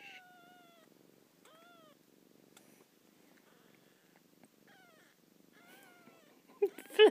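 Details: Domestic kitten meowing into its mother's ear: a series of short, high, slightly descending tonal meows with rich harmonics, spaced about a second apart over a soft steady purr, ending with a louder rustle.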